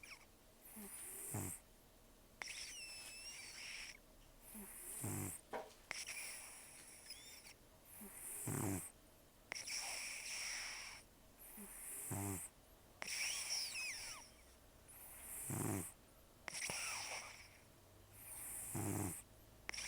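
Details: Rescued elderly cat Taro, about 10 to 14 years old, taken in October 2024, with almost no teeth after gum disease and long outdoor life, snoring heavily while asleep: rough, breathy rasps repeating every two to three seconds in a quiet room.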